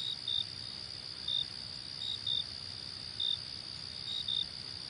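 Brief, high-pitched cricket chirps come roughly once a second, sometimes in quick pairs. Beneath them runs an unbroken, ringing trill from other insects, with no other sounds.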